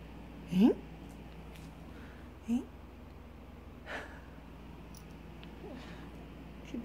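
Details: A bored Golden Retriever gives short, rising whines and grumbles, still wanting attention even after being petted and walked all day.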